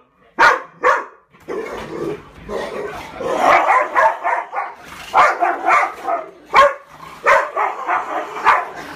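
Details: Pit Bull play fighting: a mix of short, sharp barks and yips in irregular bursts, with rough growly noise running between them and a few louder isolated yaps at the start and end.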